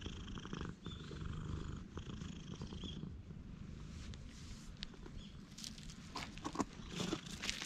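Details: Purring from a friendly cat met on the Philosopher's Path: a continuous low rumble, with scattered high bird chirps and some clicks and rustling toward the end.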